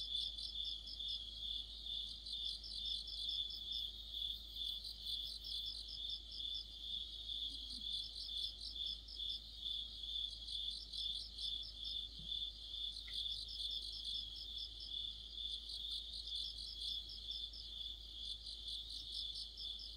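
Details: Crickets with other insects in a dense autumn night chorus near a streetlamp: a steady high ringing trill beneath overlapping rapid pulsed chirps repeating about twice a second, with one brief sharp click midway and no other clear sounds.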